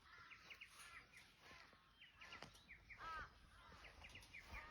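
Rottweiler puppies whine and squeal in short, high, arching cries that overlap one another.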